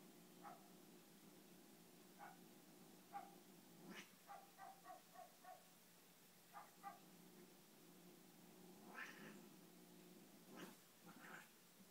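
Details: Sphynx and Siamese cats at play; short clipped chirp-like calls come in quick bursts, clustered around four to six seconds and again near nine and eleven, with soft thumps and scuffling between and a steady low hum beneath.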